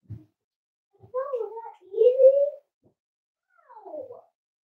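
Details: Five-week-old Cavalier King Charles Spaniel puppies from Myra and Remy's litter at Red Barn Cavaliers, indoors during weight checks; a short whine, then a longer wavering rising-and-falling whine, and finally a descending whimper in a quiet room.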